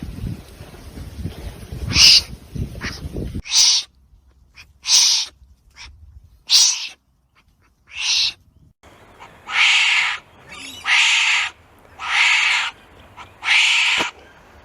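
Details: Wombat calls heard as a series of coarse, breathy rasps, short at first, then longer and stronger, spaced about a second or more apart. An opening stretch of low rumbling noise comes before the calls.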